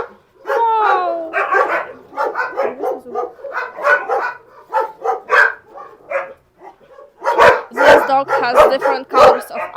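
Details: Husky named Max giving a run of harmonic, rising and falling whines and yips, then a burst of sharp, broadband barks near the end, with a person talking in the background.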